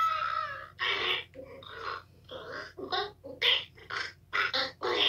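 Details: Toad recorded 2/10/2022 screaming loudly: harsh, broadband, wailing squeals broken into rapid irregular bursts, some drawn out, others clipped and stuttering, with no other sounds clearly heard.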